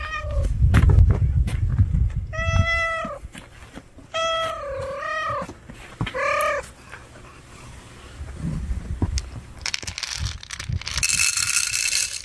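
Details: Four short meows from a street cat, several bending downward in pitch, preceded by low rumbling and followed by a burst of hissing broadband noise.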